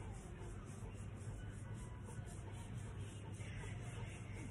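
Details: Quiet, steady low rumble with faint muffled background music and distant traffic-like hum; no animal sounds.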